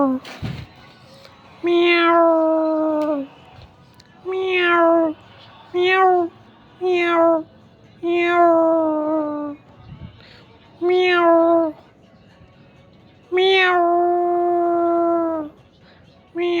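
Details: Domestic mother cat and kitten calling: a series of eight or more meows, short and long, each beginning with a bright falling onset then a steady tone, repeated roughly every one to two seconds.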